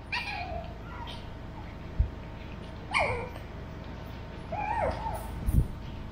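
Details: Burrito, a 13-week-old male Pug, with Vanta, a two-year-old female mixed Shih Tzu, in conversation; soft, wavering whimpers that dip and rise in pitch, three separate cries spaced a second or more apart, with light thumps.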